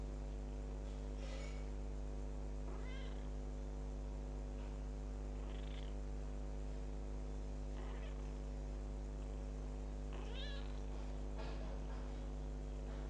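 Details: Kitten ten days after adoption mewing faintly now and then, about five thin high cries scattered across the stretch, half buried under a constant low droning hum.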